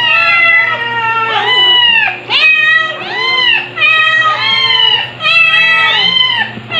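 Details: Stuart, a two-month-old male white kitten, recorded in July 2022 while still a crybaby, gives high, harmonic-rich meows in quick succession, each rising then falling, about five cries over seven seconds, with a steady low hum underneath.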